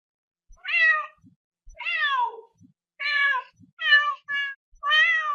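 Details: Domestic cat producing six meows in quick succession, some ending in a downward slide, one split into two short notes, with faint soft clicks between calls.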